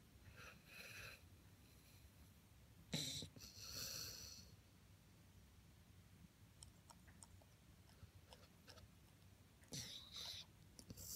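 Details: A Vizsla snorting while napping on the couch with its family on a Sunday, giving loud, breathy snorts in short, rough bursts separated by quiet pauses.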